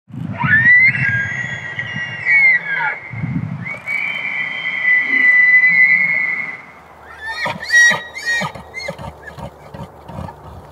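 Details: Elk bugling during the rut in the Canadian Rockies: a high, whistled tone sliding up and holding long, then a second sustained whistle, followed by a run of rapid grunting chuckles, with low grunts beneath the opening.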